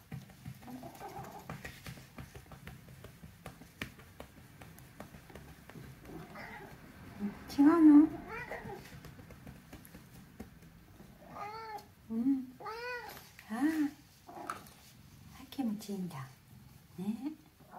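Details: Pon, a rescued middle-aged house cat, grumbles during a massage from a girl: murmured low mews early on, then a run of short bent meows in the second half, interleaved with people talking softly in the room.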